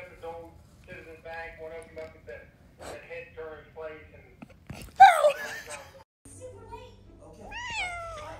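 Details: Angry domestic cat giving a drawn-out rising and falling meow near the end, following a stretch of human speech and a sharp burst of noise; rude behaviour scolded by people nearby, indoors.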